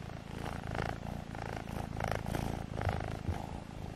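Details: Loud, pulsing purr from kittens Alfonso and Amur during a play fight, swelling and easing in rhythmic waves about twice a second, close and rich.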